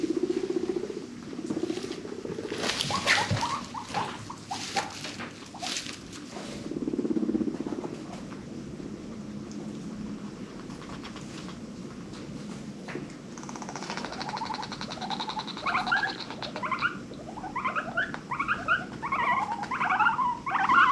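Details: Pet guinea pigs from a herd of five adopted from a rescue, making funny social noises; a low rumble early, then clicky rustling, and from about fourteen seconds a run of rising squeaky chirps and whistles.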